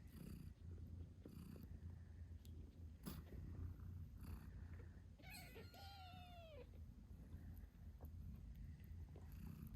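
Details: British Shorthair mother cat Moon Stone nursing her eight-day-old kittens: a steady low rumbling purr runs throughout, broken at one point by a single thin rising-and-falling kitten squeak.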